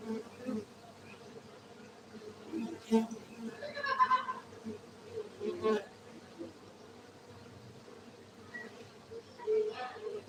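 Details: Farmed honey bees in Gayo, Aceh, Indonesia produce a constant droning hum, overlaid by repeated knocks, handling noises and short vocal-like sounds, busiest around three to six seconds.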